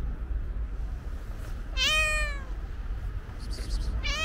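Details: White-pawed calico cat, a stray being fed alongside other cats, utters a strong, bright meow that bends down in pitch, then begins another at the very end, with constant low background rumble.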